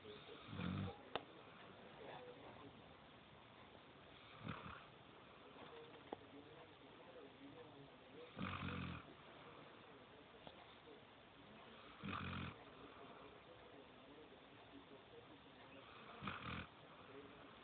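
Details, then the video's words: Sol Gracia, a female Golden Retriever puppy, snoring while asleep: soft, breathy rasping snores return roughly every four seconds, each a short throaty burst, with quiet room hiss in between. "sol gracia sanchez roncando durmiendo golden retriver cachorrita perra cachorra"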